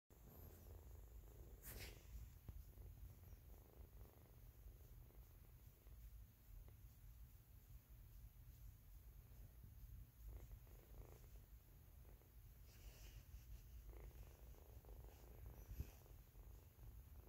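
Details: Kitten purring steadily indoors, a continuous low rumble throughout with a few soft rustles and brief clicks over the top.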